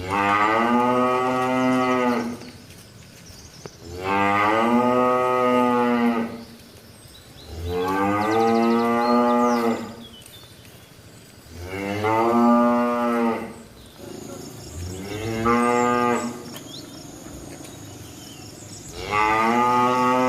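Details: Tame village cows moo repeatedly, six loud harmonic lowing calls each lasting about two seconds, spaced roughly every three to four seconds, with a faint high whine briefly audible midway.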